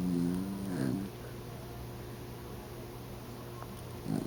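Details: Oliver, a heavy pet dog dozing on the couch, lets out a throaty low snore at the opening and a shorter one at the close, with quiet room hum in between.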